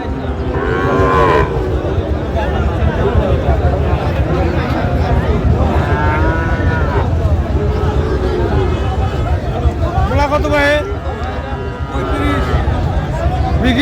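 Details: At the Raniganj cattle market, Dinajpur, on 25 January, where Friesian and crossbred bull calves are traded: three separate lowing moos near one, six and ten seconds rise above constant chatter and haggling voices.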